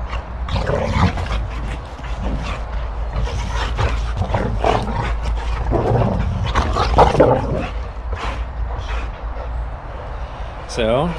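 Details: Boxer dogs in rough play during morning exercise at home: puppy Sammie keeps challenging adult Rex. Bursts of harsh, noisy growling and scuffling come every second or so over a steady low rumble, ending in a short rising, squeaky whine.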